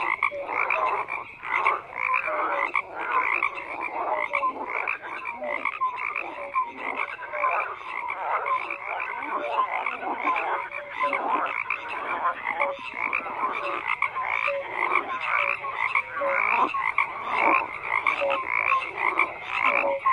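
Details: Frogs croaking in a dense, steady chorus, many overlapping rasping calls stacked in bands through the middle pitches, with short tonal whistles scattered throughout and no pause across the recording.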